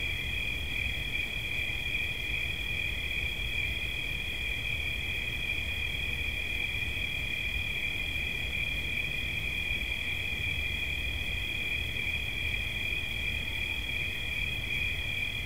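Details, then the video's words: Cricket chirping steadily as relaxation sounds: a continuous high, even trill held without pause for the whole stretch, with low background rumble beneath. "Świerszcz. Dźwięki relaksacyjne"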